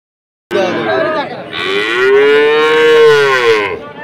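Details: Sahiwal bull calf at Ambari cattle market, Dinajpur, on 6 November 2023: one long moo starts after a half-second pause, with a low rumbling onset and then a sustained, slightly rising tone lasting about three seconds.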